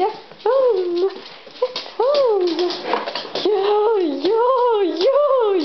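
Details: Pet dog Frøya vocalising indoors in long, wavering, howl-like whines that bend up and down in pitch, about six drawn-out phrases with short breaks, no other clear sounds.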